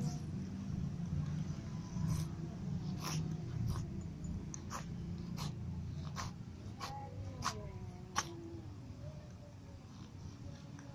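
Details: Ginger cat, kittens and other cats eating together; soft, faint meows with wavering pitch rise near the end, over sharp clicking from feeding and a steady low rumble.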